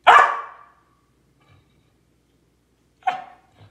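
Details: A Samoyed, Lucy, barks at squirrels during quarantine: one strong harsh bark, a long quiet gap, then a second shorter bark followed by a faint low huff.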